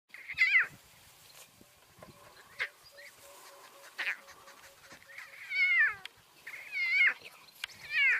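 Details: Lion cubs walking with their lioness mother: high, wavering mewing calls that fall in pitch, given in short bursts every second or so, with rustling and soft background noise between them.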